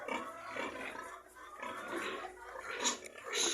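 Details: Domestic pigs in a pigsty grunt and squeal harshly in noisy bursts around feeding, while a man talks nearby. A sow is due to farrow, and a boar is described as constantly yelling.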